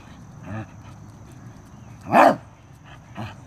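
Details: Arthur the Corgi reacting to a stink bug at close range: one loud, abrupt bark in the middle, framed by two softer, shorter woofs before and after, against a low background hum.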